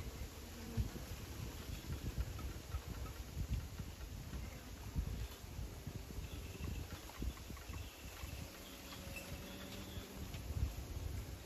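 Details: Bees buzzing outdoors, a low steady hum with a brief tonal drone rising into view near the end, set against rumbling wind noise and faint scattered background sounds.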